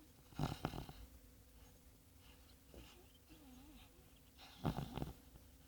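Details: A sleeping sand-coloured Labrador Retriever named Bongo snores in low, rough bursts like a piglet, with quiet breathing between them.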